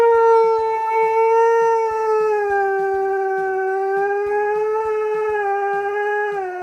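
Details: A dog howling in displeasure, for example at nail trimming, bathing, an empty bowl or an unreachable toy. One drawn-out, even howl holds its pitch and then dips at the end, with steady soft clicking ticks underneath.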